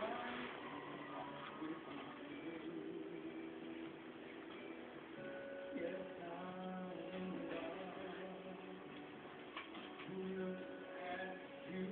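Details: Quiet music and faint speech play in a small room, with no animal sounds.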